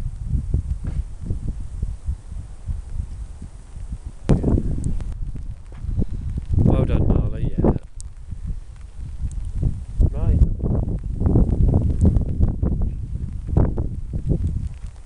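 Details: Siberian Huskies Mishka, Narla and Shiloh playing and singing: a wavering, warbling woo-woo vocalisation of about a second in the middle, a fainter rising note later, over heavy wind rumble and rustling.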